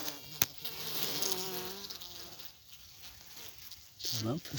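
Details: A newly emerged queen honey bee pipes, in steady, droning tones over the dense hive buzz, at 8 pm in a requeening hive holding several queen cells, asserting dominance as other queens answer from their cells.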